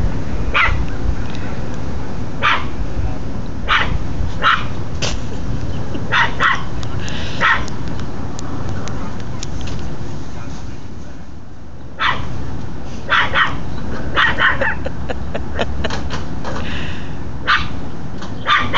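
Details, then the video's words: Pet dog barking at people next door, acting as a guard dog: short sharp barks in uneven bursts, some rapid and some spaced a second or more apart, over a steady low background rumble, with a pause near the middle. "barking at people next door"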